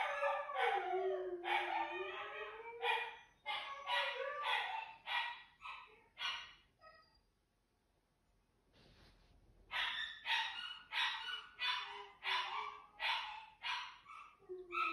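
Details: Siberian Huskies Juno and Echo vocalizing together early in the morning, around 6:00; an opening sliding howl gives way to a rapid series of short, harmonic woo-like yelps repeated about every half second, a quiet gap midway.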